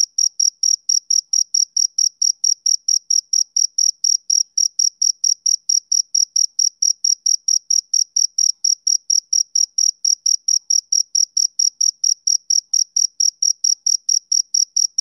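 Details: Summer-evening chirps of a male cricket: a long, regular series of sharp, high, ringing pulses, about four each second, keeping a steady tempo throughout against complete quiet.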